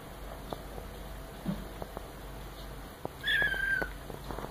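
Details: A red marbled Maine Coon kitten, about four weeks old, gives one thin, high mew that slides slightly downward among soft scratching taps while using its litter tray of wood pellets.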